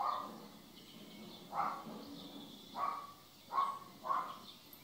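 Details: Jealous house cat from a compilation of jealous cats, giving four short, harsh mid-pitched cries spaced roughly a second apart over a steady low background hiss.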